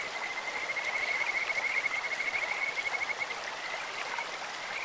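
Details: Kajika frog in a clear stream: a high, rapid, bird-like trill runs for over three seconds, pulsing many times per second, then fades into the constant hiss of running water.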